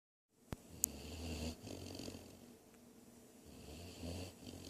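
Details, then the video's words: Great Dane puppy snoring while asleep: soft, low rumbling snores in uneven bursts of about a second, with quieter breathy stretches between them and a couple of sharp clicks near the start. "GREAT DANE PUPPY SNORING"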